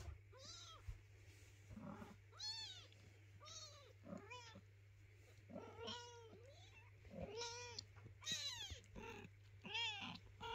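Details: Hungry kitten crying near its mother cat, which urges it to eat and stop calling; a rapid series of arched, bent meows, roughly one per second, some overlapping, with a constant low hum beneath.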